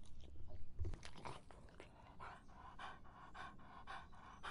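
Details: Dog quenching its thirst on a hot summer day: after a dull low thump near the start, breathy, wet-sounding bursts settle into a steady rhythm of roughly two per second, close and quiet.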